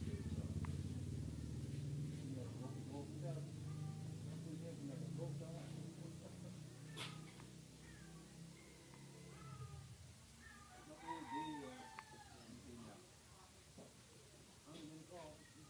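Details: A very sick, poor domestic cat gives a short run of wavering, rising-and-falling meows late in the recording, after a steady low droning hum with voices in the background.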